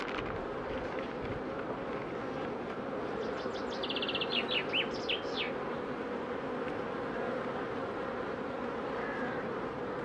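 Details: Honey bee queens in beekeeping, undergoing pre-narcosis before instrumental insemination: a steady, dense droning hum at low-mid pitch, with a short run of thin, high bird-like chirps around the middle.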